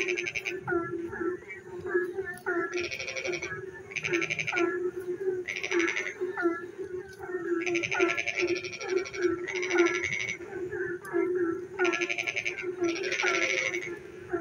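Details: On a rainy night, frogs keep up rattling, pulsed calls in bursts of about a second, spaced irregularly, while quieter bent croaks fill the gaps above a continuous low drone.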